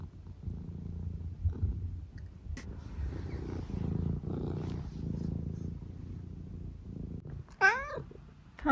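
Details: Senior tabby cat Eric from England purrs at home with a soft low rumbling throb for several seconds, then gives a short bright meow near the end.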